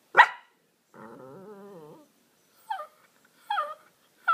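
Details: Cooper, a Miniature Pinscher at home in the evening, begging to play with his laser toy: a sharp bark, then a long wavering growl lasting about a second, followed by three short rising yips.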